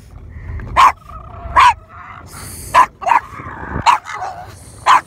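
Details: Boston Terriers barking while playing and jumping around at sunset when meeting dolphins; six sharp, loud single barks spaced roughly a second apart, with a faint steady whine-like tone and low rumbling background between them.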